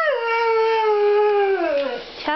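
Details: A pet Siberian Husky howls back while its owner talks to it: one long, steady, tonal howl that holds level for over a second, then slides downward and breaks off with a brief yip.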